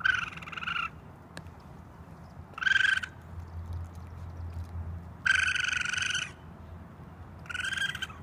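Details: Baby raccoon on a roof screaming for its mother: four harsh, shrill, quavering screams, each about a second long, separated by pauses of one to two seconds, over faint low background hum.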